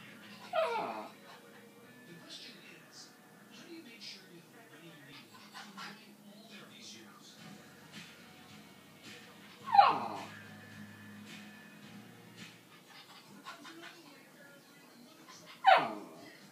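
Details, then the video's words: A Cairn Terrier cries with high, sliding whines, begging for a plate of chicken on the counter. "My dog crying for chicken (Cairn Terrier)"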